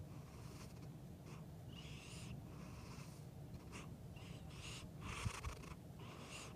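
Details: Pet male cat snoring loudly in his sleep with his eyes open, possibly dreaming: raspy, wheezy breaths in short bursts about once a second over a low, steady rumble.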